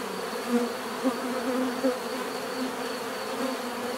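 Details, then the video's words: Bees buzz continuously, with three brief louder swells in the first two seconds as single insects pass near, over a steady humming background. "bees therapy relaxing natural buzzing sound"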